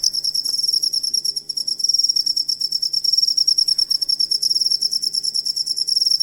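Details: Songbird master track of a cricket: shrill, high chirps in fast rhythmic pulses with a brief dip in loudness near one and a half seconds, set over a faint low hum.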